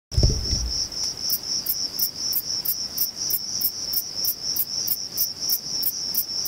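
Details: Male Thyreonotus corsicus bush-cricket singing at Vilella, Sueca: sharp, high chirps repeated about three or four times a second over a steady, shrill continuous buzz, after a brief low thump at the start.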